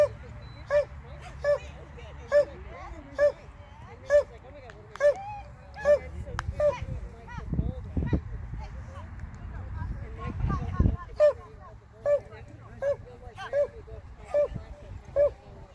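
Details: Border Collie on a novice agility run, barking steadily. Sharp barks repeat at a fairly even pace, a little under once a second, over an outdoor background of talk and occasional vehicle rumble.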